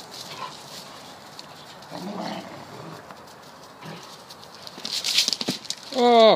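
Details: Deerhound pup and another deerhound in a rough garden play session; quiet scuffling and soft grumbles, ending in a loud, high, falling whine-yelp.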